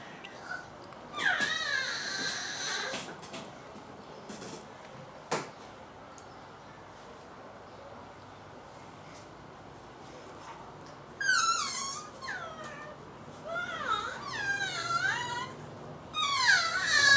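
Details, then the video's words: Laura, a pet cat, gives a few short harmonic meows near the start, then after a quiet gap a run of quick chirping, rising-and-falling meows, with a woman speaking Thai and faint room noise. "Laura making noise"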